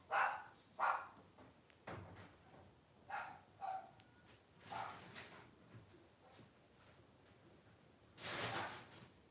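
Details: Blenheim Cavalier King Charles Spaniel puppies at 12 days old, from Paris and Spike's first litter of five, let out a run of high, nasal squeals and yelps in uneven bursts, with rustling and handling noise between them.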